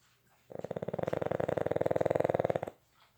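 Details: One Boston Terrier asleep indoors gives a single two-second snore made of rapid, evenly pulsed rattles that grow slightly louder toward the end before stopping abruptly.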